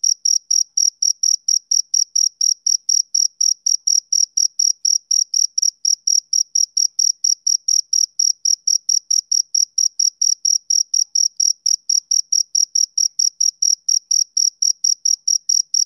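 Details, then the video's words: A male cricket chirps through a summer evening, a long, unbroken train of sharp, high-pitched pulses at a brisk, steady pace against complete quiet. "Cricket Chirping Sound"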